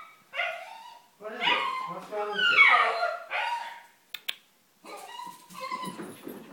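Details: Pet dog Céilí, excited as the owner comes home, greets indoors with loud sliding whines and yelping howls that rise and fall in pitch across several bursts, a few sharp bark-like notes, with a person talking alongside.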